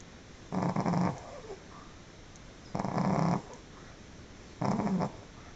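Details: Pekingese dog sleeping and snoring loudly indoors: three rasping, low snores, each about half a second long, spaced roughly two seconds apart, with quiet breathing between.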